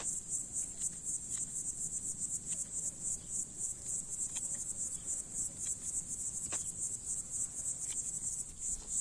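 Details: In hot summer weather, a cicada sings from a plant leaf on a farm, where its appearance was said to mean ripe fruit; an insistent high buzz throbbing about four times a second, with faint clicks.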